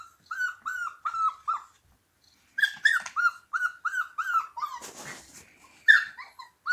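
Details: Siberian Husky puppies singing in a string of short, high, bent yelps, each dipping then falling, about three per second, with a brief pause, a burst of scuffling noise and a louder overlapping cry near the end.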